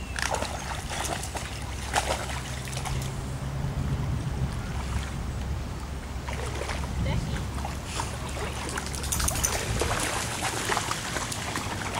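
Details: People talking beside a river, with splashing water and a steady low rumble throughout, and brighter splashes around the start and near the end.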